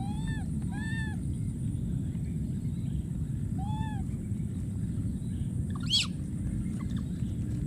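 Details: Wild monkey baby calling out for his friend: three bursts of short, bowed whimpering cries, each a quick rise and fall, then one shrill upward squeal, set against a continuous low hum.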